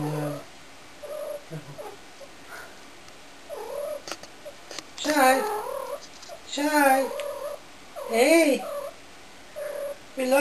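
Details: Domestic cat being annoying indoors, giving several drawn-out, wavering meows that rise and fall in pitch midway through, between stretches of people talking in Swedish.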